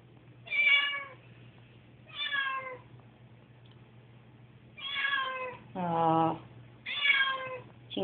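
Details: Nervous pet cat Susie on moving day meows repeatedly, drawn-out harmonic cries about once a second, one lower rougher wail in the middle, with a constant low electrical hum in a room.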